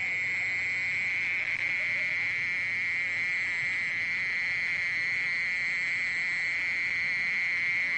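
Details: Mole cricket giving a constant, unbroken high buzz, even in pitch and volume from start to finish, with a faint upper overtone.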